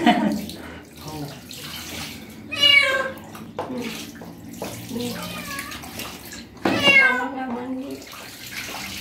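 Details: Street cat reacting to its first bath, washed carefully: two drawn-out, strained meows a few seconds apart, over running tap water, splashing and a quiet human voice.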